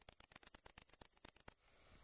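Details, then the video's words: Tettigonia viridissima, the great green bush-cricket, producing a rapid string of about fourteen rasping, very high-pitched pulses, roughly eight per second, then fading to a faint continuous hiss. "Pasikonik Zielony (Tettigonia viridissima)"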